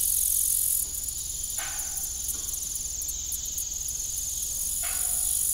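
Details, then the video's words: Crickets on an abandoned farm in the evening give an unbroken, piercing high trill with a faint pulsing texture; two short creaks from a rusty windmill sound in the background. "Evening Cricket Sound"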